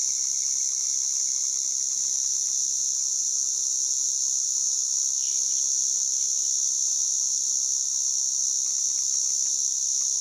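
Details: A white drummer cicada (Arunta perulata) gives a loud, unbroken high-pitched buzz that holds steady throughout.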